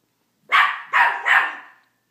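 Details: Barking at his reflection, a male teacup Miniature Pinscher gives three loud, high yaps in quick succession, each ringing out briefly before silence.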